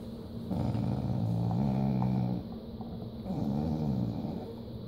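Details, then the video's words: Skeeter, a crossbred Treeing Walker Coonhound and Pit Bull dog who doesn't like to share, growls low and rumbling in two drawn-out bursts of about two seconds and one second, with a steady hum in the room behind. "My Dog Skeeter Doesn't Like to Share"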